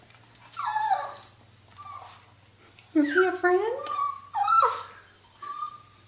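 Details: Indoor Toy Fox Terriers getting vocal at a turtle emerging from its shell: drawn-out wavering whines and squeals in bursts, some sliding down, others held steady and high, with human speech between.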